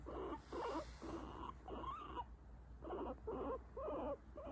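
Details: Guinea pig vocalising while petted, indicating where it accepts touch; short buzzy whining bursts in quick succession, roughly two per second, with low background hum.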